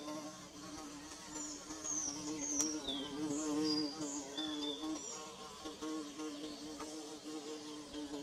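A bee buzzes steadily, a low droning hum with rich overtones that wavers as it moves.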